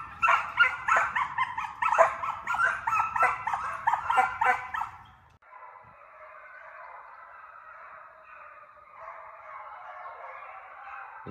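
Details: Training hound pups pursue coyotes through a fox pen. For about five seconds a loud pack gives rapid, choppy yelping and baying. The sound then cuts to a faint, continuous, far-off chorus of howling dogs.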